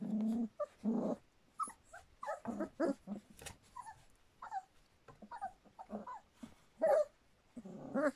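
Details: Standard Poodle pups about three weeks and three days old: low grumbling growls mixed with short rising whines and squeaks, irregular and overlapping, indoors.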